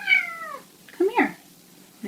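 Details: Pet cat indoors giving one clear meow that slides downward, followed by short chirping sounds and a faint start of another call in a quiet room.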